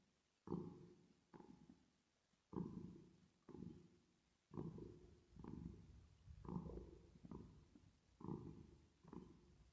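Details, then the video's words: Purring from a cat at rest and asleep, with a reverb effect. Low, grainy rumbles swell and fade in breath-paired strokes, roughly five cycles at a slow, even pace. "10 Minutes Of Cat Purring Sound With Reverb Effect"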